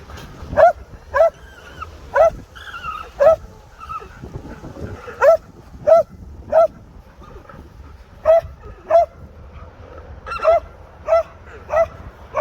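An alpaca's alarm call: shrill, honking cries repeated over and over at uneven intervals.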